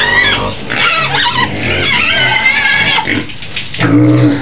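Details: A white pig in a pen near Medan, Indonesia, lets out piercing, rasping screams, a sustained high shriek for about three seconds, then a short pause before a lower squeal returns.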